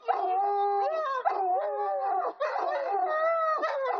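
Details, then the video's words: Howling wolfhound giving continuous wavering, mournful notes that slide up and down in pitch, with brief dips between phrases and a steady, sustained tone near the end. "wolfhound howling"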